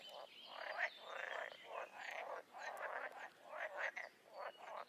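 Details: Overlapping croaks from a crowd of wild toads and frogs, grating pulsed bursts repeating about every half second, with a steady high trill running underneath.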